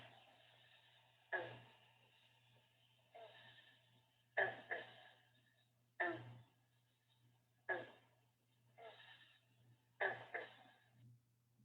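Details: Green (bronze) frog (Lithobates clamitans), a coastal plain frog of mostly permanent water, gives its advertisement call: single twangy, banjo-like plucks, each a short explosive gulp spaced a second or two apart.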